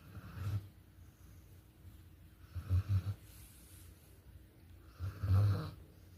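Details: Bernedoodle puppy lying sprawled out and snoring: three low, rough snores at roughly two-and-a-half-second intervals, each a short rumbling burst with breathy hiss above, quiet room between them.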